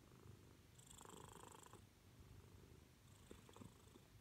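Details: Deep, continuous rumbling purr from a female Siamese cat seeking attention, close and steady, with some light rustling and a few small clicks partway through.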